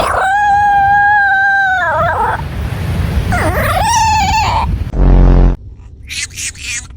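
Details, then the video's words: A pet dog making strange noises: long, steady, high whining howls with clear overtones, then wavering yelps, a loud low buzzing burst and short sharp cries at the end. "My dog makes some strange noises"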